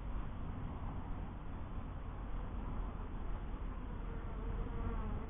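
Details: Honey bees at a first beehive: a steady, dense, low droning hum throughout, with no breaks.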